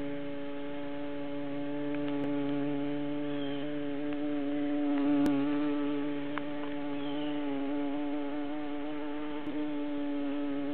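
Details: Hive of honey bees where female workers surround and protect the queen; a dense, even drone hums throughout, rising a little in volume midway, with scattered faint clicks and taps.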